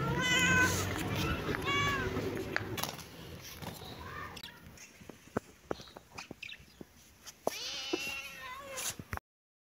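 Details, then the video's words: Baby kitten and cat playing together in a happy mood, meowing: a burst of several high, harmonic mews in the first two seconds, then scattered clicks and taps, and a final drawn-out meow near the end. "kitten and cat meowing"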